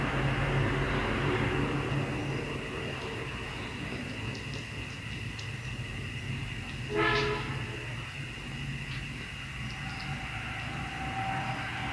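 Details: Rail traffic rumbles throughout, a train horn sounding briefly near the middle, with no animal call present.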